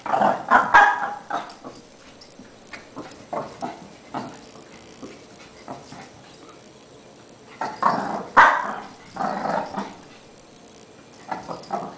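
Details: Shih Tzu puppy Lacey, a seven-month-old female, doing zoomies indoors, running around and chasing her tail; bursts of rough growls and yappy barks come in clusters near the start and again around eight seconds, with quieter gaps between.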